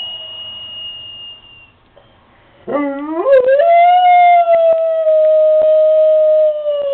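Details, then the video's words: Pet dog howling along with daily church bells heard from down the street, though the bells themselves are inaudible; after a quiet start, a loud sustained tonal howl rises sharply then holds steady and slowly falls for about four seconds. "Cute dog howling at bells"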